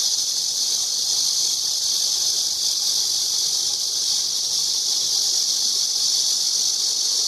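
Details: Cicada buzzing in an unbroken, harsh, high-pitched drone that holds steady in loudness for the whole stretch, with no pauses and no other clear sounds.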